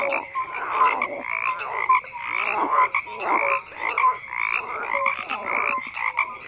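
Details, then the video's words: Frogs croak in a busy chorus, raspy pulsed calls swelling in waves roughly each second, punctuated by brief clear tonal notes. "FROGS CROAKING"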